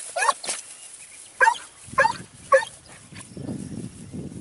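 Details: Segugio Italiano hound barking while hunting hare near Sofiko, Evros, on 29 May 2019: four sharp, ringing barks spaced irregularly over two seconds, then low rustling and crunching movement through undergrowth.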